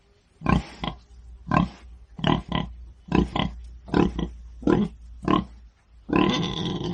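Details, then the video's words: A pig's repeated short, rough grunts, many in quick pairs about every second, ending in a longer, harsher squealing grunt. "IL VERSO DEL MAIALE | PIG SOUND"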